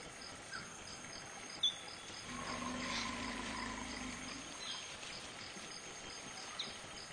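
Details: Infant African forest elephant, apparently lost and searching, at Dzanga Bai in the Central African Republic, giving one low, even rumble of about two seconds with faint higher overtones, set against continuous insect buzzing and a brief click.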